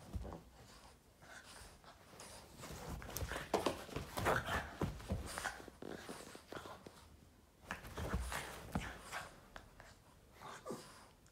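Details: Boston terrier indoors playing with its owner's foot, giving rapid bursts of snorting grunts and huffy playful noises, some louder and rougher, in an irregular flurry with short pauses in a small room.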